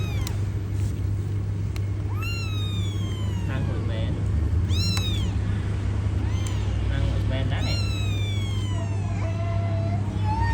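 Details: Several kittens calling: repeated high meows, many arching up then sliding down, overlapping irregularly over ten seconds. A loud steady low rumble runs underneath, with a brief voice.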